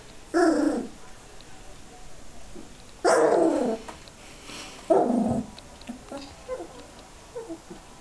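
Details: Border Collie puppies, three weeks old, learning to vocalise during play: three louder yelping, growly bursts of under a second each, the first near the start, then fainter whimpers trailing off in a quiet room.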